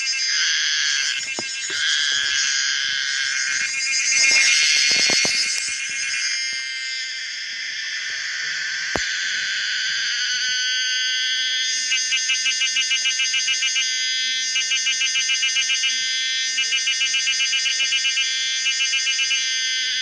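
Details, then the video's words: Pomponia linearis, the common cicada, singing: a loud, shrill buzzing drone, rough and broken by clicking bursts at first, then settling into a steady whine cut into rapid, regular pulses during the last eight seconds. "the weird sound of the common cicada pomponia linearis"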